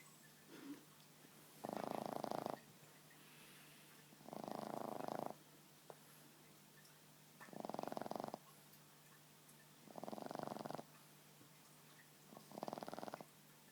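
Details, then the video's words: Boston Terrier asleep on a lap, snoring: five rough, buzzy snores, each about a second long, spaced every two to three seconds, with quiet breathing between them. "Boston snoring"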